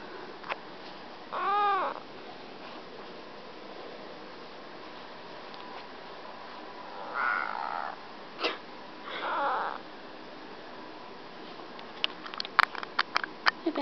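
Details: Badger, a pet cat, just woken from sleep, makes soft sleepy noises: a wavering arched meow early on, then two more drawn-out, nasal mews several seconds apart, with a brief click and light tapping sounds near the end.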